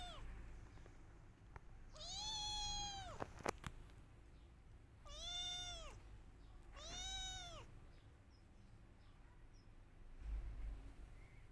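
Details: Kittens meowing loudly as they search for their mother; a short call, then three strong arched meows, one followed by sharp clicks, over a low rumbling background.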